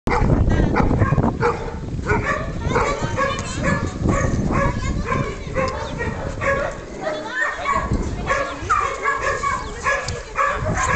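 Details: Hovawart named Senda barking during an attack, loud rapid barks in dense overlapping bursts, with people's voices mixed throughout and heavy low rumbling noise.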